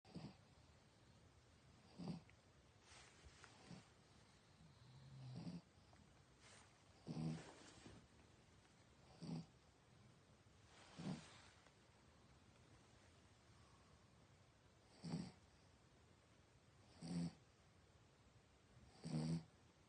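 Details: Dog sleeping at night, snoring loudly: short rasping breaths recur roughly every two to four seconds against a quiet, faintly hissing room background.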